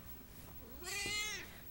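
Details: Siamese cat Dory, indoors after being stuck in a big box, lets out one drawn-out, bright meow that rises and then sinks, rich in overtones. A woman's greeting comes just before it.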